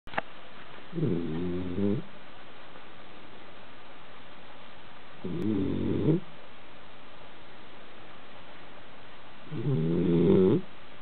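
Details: Basenji dog sleeping on a couch and snoring: three low, rasping, rattling snores, each lasting about a second, spaced roughly four to five seconds apart in a quiet room.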